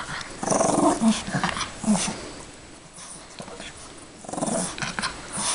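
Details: A female Yorkshire Terrier playing with her toy bunny gives short, rough growling bursts with pauses between them.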